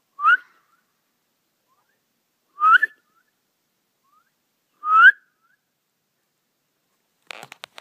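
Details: A red fox calling for its pups gives loud, short, rising barks about every two seconds, at 1:47 in the morning, after about 20 minutes of calling while running up and down the land.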